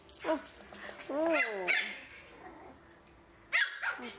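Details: Three Pomeranian puppies meeting a toy ball for the first time, a plaything with a loud bell sound, scared yet eager to play. High, arching harmonic yelps mid-recording, with sharp short barks near the start and again near the end.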